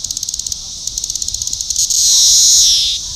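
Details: Periodical cicada Magicicada cassini of Brood IV, recorded June 5, 2015 at Shawnee Mission Park, Kansas, with a defective upswept wing exposing one tymbal. Rapid high-pitched ticking pulses, about three per second, give way to a continuous loud buzz that fades near the end.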